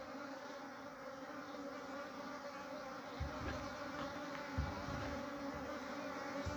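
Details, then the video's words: Honey bee colony at its natural nest, working on comb and storing honey. The crowd of bees gives a constant droning hum, with occasional low thumps and brief bursts standing out over the swarm. "Beautiful Natural Honey Bees Nest comb building and storing honey"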